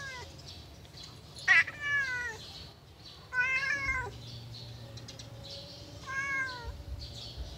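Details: Yellow pet cat at play gives three drawn-out meows with bright harmonics, each bending upward and then falling, separated by short pauses against steady low rumble.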